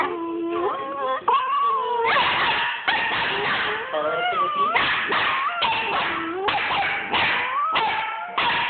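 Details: Puppy "talking": a string of tonal whines that slide up and down, broken by short yips and howl-like rising cries about every half second, with a person speaking faintly underneath.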